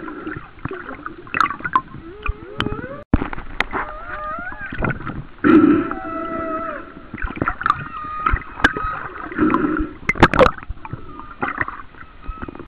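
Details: Humpback whale song recorded about one mile off the coast of Kauai in 2009: varied rising and falling moans and whoops, sweeping tonal calls and short upsweeps, with gurgling water and some boat-like noise in the background.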